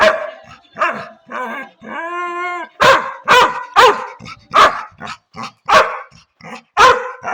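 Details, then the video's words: Labrador retriever pet dog starting with soft grumbles, then a drawn-out tonal whine, then a run of about nine loud, rough barks in quick succession. "Dog funny sound"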